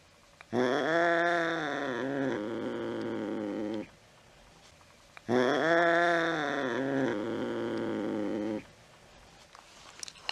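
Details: Late-night cat, chasing a mouse, gives two long, low, moaning yowls about five seconds apart, each starting strong and then flattening into a hoarser tail, with faint background hiss.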